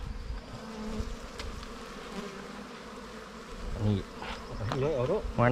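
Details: Wild bees buzzing at a nest opened during a honey hunt: a steady low droning hum with layered harmonic bands, joined near the end by a man's voice speaking close by.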